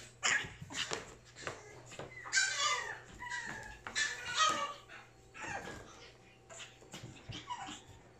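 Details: Pug wearing a purple ribbon, indoors, giving a string of short, high, whiny whimpers and yelps with rising and falling tones, about six bursts over eight seconds, separated by soft breathing and faint room noise.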